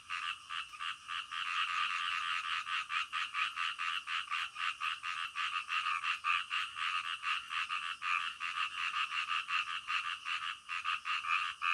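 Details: Frogs calling in the middle of the night, a dense chorus of rapid pulsed croaks with bands near one and three kilohertz, overlapping callers repeating several times a second without pause, calm natural night atmosphere.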